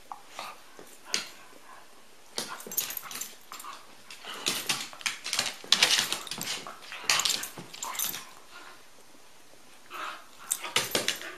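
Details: Rusty and Elliott the corgi playing together indoors, giving scattered short yips, grunts and whimpers in bursts with quiet gaps between them.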